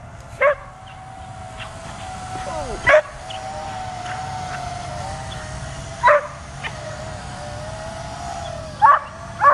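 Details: Dog reacting to a drone flying overhead: a few isolated barks spaced several seconds apart over a constant droning whine, with faint sliding tones between barks.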